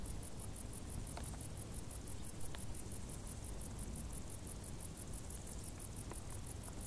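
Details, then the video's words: Summer crickets in tall grass give a continuous high-pitched pulsing chirp, steady and rapid throughout, set against a dull low background hum and a few faint ticks. "Grilli | suoni dall'erba alta"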